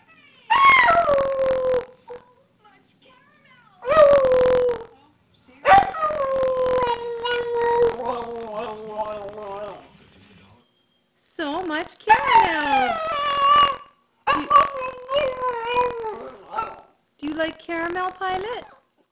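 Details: Boston Terrier indoors reacting to a television commercial, giving long wavering howls that slide downward, several separate bouts with pauses between, while a person repeatedly asks about caramel in a high coaxing voice.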